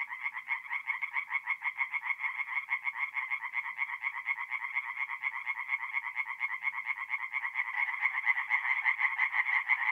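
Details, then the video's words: Singing tree frogs in a forest pond at night, north-east Italy, mid-April; rhythmic rapid croaking pulses, several frogs overlapping, growing slightly louder toward the end. "relaxing forest pond by night with singing tree frogs"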